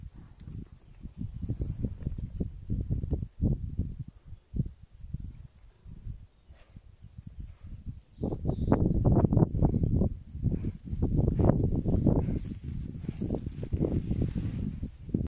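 Wild boar giving deep, rough grunts in quick, uneven bursts, growing louder and busier partway through.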